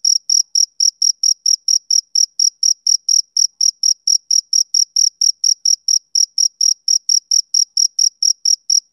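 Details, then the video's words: Steady summer-evening chirps from a male cricket, high and piercing, repeated about four times a second in an even, tireless rhythm with a brief hitch near the middle; no other sounds. "Cricket Chirping Sound Effect"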